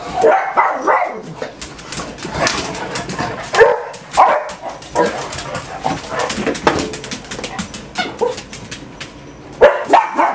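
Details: Household dogs, part of a pack of six, on an ordinary morning at home: dense overlapping barks and yips, rapid and uneven, with a whimper among them and a person urging them on.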